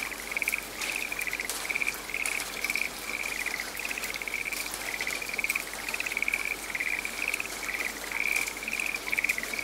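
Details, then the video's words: A frog calling in a quiet, rainy forest: short, bright pulsed trills repeated about twice a second in a steady chain, over a constant hiss and patter of falling rain. "The soothing voice of a frog in the raining forest"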